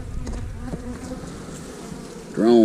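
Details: Honey bee hive buzzing close up while drone cells are inspected, a continuous droning hum with light clicks, ending as a man's voice begins speaking over the bees.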